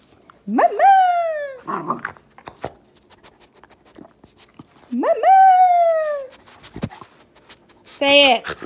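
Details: Pet miniature schnauzer vocalizing back at its owner, giving two drawn-out yodelling calls about four seconds apart, each rising sharply then sliding slowly down, with a brief third call near the end and faint rustling between.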